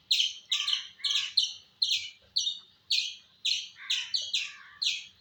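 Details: Squirrel giving sharp, high chirps with falling tails, about a dozen in five seconds at an uneven quick pace, each note bright and ringing, over a quiet background.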